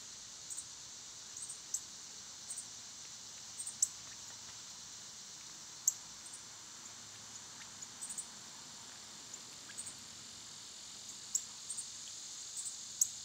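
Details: Summer cicadas, loud at this time of year, make a steady high hissing drone throughout, while brief sharp high chirps and clicks from small birds or squirrels break through every second or two.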